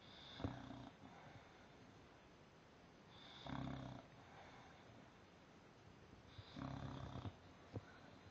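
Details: English Bulldog napping upside down indoors, snoring in three rough, low rasping breaths about three seconds apart, each a short buzzy burst with a faint higher wheeze.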